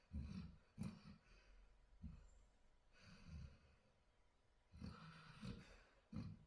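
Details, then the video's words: Sleeping dog snoring: low rumbling snores and snorting breaths concentrated in the deep bass, arriving in irregular bursts roughly every second or two, with quieter breathy exhales between them. "Dog snoring"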